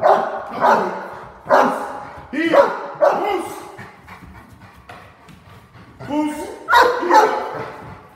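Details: Cane Corso in a home invasion role play, giving loud, spaced barks mixed with growly, rough sounds, with quieter gaps between bursts.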